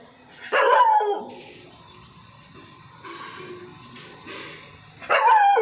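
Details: Pet Labrador barking loudly, two sharp barks about four and a half seconds apart, with faint noise and softer sounds in between.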